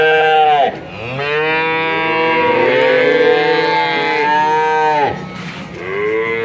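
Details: Bull calves from a group of 19 bought in Grabag, Magelang regency, Indonesia; one sustained, rich moo lasting about four seconds, falling at its end, followed quickly by another rising moo.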